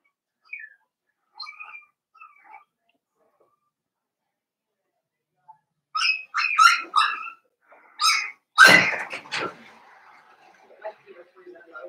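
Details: Daisy's five-week-old Cavalier King Charles Spaniel puppies indoors in a pen: faint early squeaks, then a burst of sharp, high yips and a snuffling, sneeze-like noise before quiet returns.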